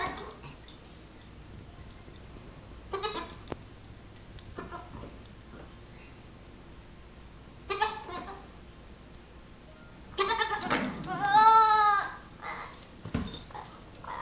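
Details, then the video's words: Nigerian Dwarf kid, six weeks old, pestering a Yorkshire Terrier; scattered short sounds, then a long wavering, quavering bleat rising and falling over about two seconds, followed by a thump. "Nigerian Dwarf Baby Goat Annoying Yorkie"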